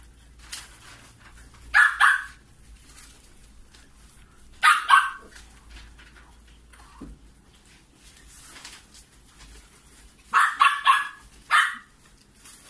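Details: Maltipoo puppies from a litter of five siblings, giving short high yapping barks in three bursts of two to four, separated by quiet gaps of several seconds, with faint background rustling.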